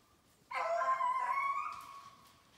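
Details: Beagle from a Maine kennel baying while chasing snowshoe hare during summer conditioning on 14 July 2019; one long drawn-out harmonic bay, steady then fading over about a second, followed by brief speech.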